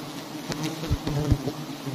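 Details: Low droning hum from a mass of honeybees at big nests hung on a palm-garden tree during honey collection. Thuds and brushing sounds from nearby work overlay it.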